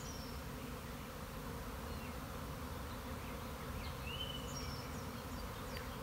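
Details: A honey bee colony swarming on 26 March 2021, after several days of rain, makes a thick, unbroken low roar of countless wings, like a steady distant engine, with faint thin, high bird whistles above.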